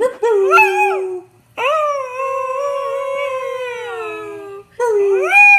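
A Beagle howls in three bursts: a short yelping rise, then a long sustained note that wavers slightly before fading. The final howl swoops upward again, clear and tonal over a quiet background.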